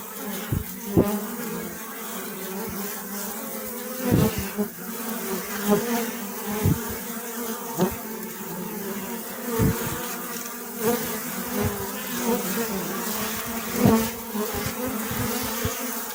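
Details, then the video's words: A dense, continuous hum of honey bees. The low buzzing tone rises and falls slightly as individuals move about, and sharp taps and clicks recur every second or two. "أصوات النحل . صوت النحل.طنين النحل.Bee Sound Effect"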